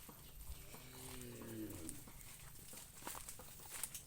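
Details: Cattle kept behind a house in rural southern Laos give a single low moo lasting about a second, steady then trailing off, faint under broad background hiss, with people talking nearby.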